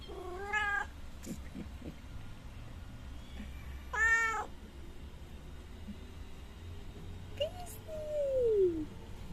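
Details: Mother cat with her three kittens in a yard, being fed milk: three loud, drawn-out meows a few seconds apart, the last a long falling wail, over a low background hum.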